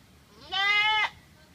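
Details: Goat giving a sudden, very loud scream-like cry, startlingly human in tone: one strained, level, harmonic-rich bleat of about half a second, rising at the start and breaking off abruptly at the end.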